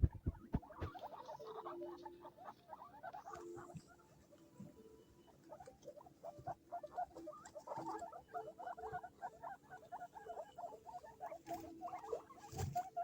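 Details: Baby guinea pigs in Hana Pet, a guinea pig shop in Sapporo, Hokkaido, Japan, keep up a steady stream of short, rapid squeaking notes for the whole stretch, with occasional clunks and shuffling in the background.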